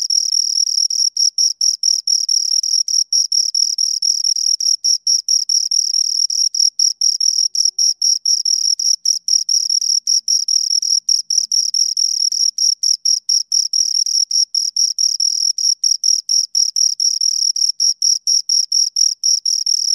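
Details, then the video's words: Two crickets giving a relentless high-pitched chirping, dense pulses with only tiny pauses, a thin ringing tone with a faint higher harmonic, steady loudness throughout, nothing else audible. "Two Crickets Chirp Sounds"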